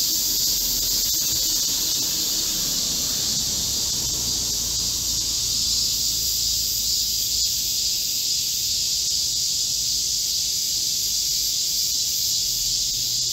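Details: Chorus of Korean cicadas in a green forest at midsummer, recorded 25 July 2024 amid a heatwave: a continuous shrill buzzing wall of sound, with a faint low murmur underneath early on.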